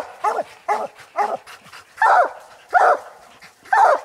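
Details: Coon dogs, an old dog, an aging dog and a year-old young dog, barking at a tree where they have treed a raccoon during a hunt; short sharp barks in irregular bursts, about seven over four seconds, louder toward the end.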